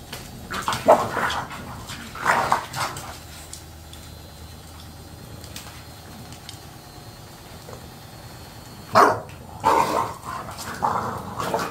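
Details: An English Bulldog competing over chicken breast gives gruff, husky barks and low grumbles in a few scattered bursts, with long quiet pauses between and a person speaking briefly.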